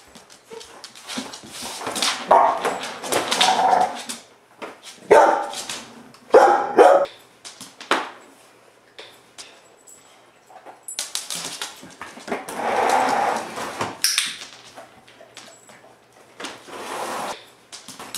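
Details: Young female Pit Bull foster dog reacting to a vacuum cleaner during a counter-conditioning and desensitization training session; loud, harsh bursts of barking and growly vocal noise come in clusters separated by short pauses, with broadband noise between them.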